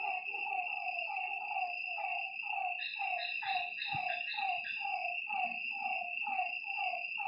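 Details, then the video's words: Lakeside frogs calling after dark, many drooping croaks tumbling over one another at roughly two per second, set against a constant whining insect background and a brief low knock. "Lakeside night creatures and frog sounds"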